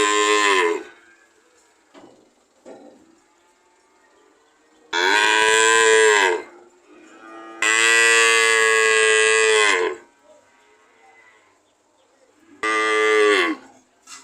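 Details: Cow mooing in loud, harmonic-rich bellows, each one to two seconds long, with a short call at the start, two long moos in the middle and a final one near the end, quiet pauses between.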